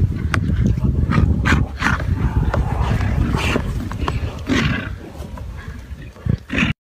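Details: A white Tibetan yak together with a black yak gives deep, harsh grunts in quick uneven succession, low-pitched and noisy, with scattered clicks and rustling outdoors.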